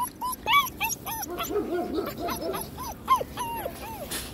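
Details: German Shepherd puppies, a white long coat and a black and cream male, giving a run of high whimpering yips that rise and fall, rapid and irregular, with lower whines overlapping in the middle.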